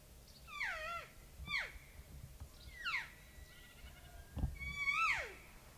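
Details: Young, hesitant bull elk bugling about thirty-five yards away on a September 2018 bow hunt: a series of piercing whistles, each falling in pitch, rich in harmonics, the last one long and wavering, with light background rustle.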